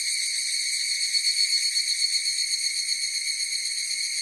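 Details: Higurashi cicada chorus, an unbroken high metallic ring with rich overtones that swells in quick rhythmic pulses near the middle before settling back to an even hum.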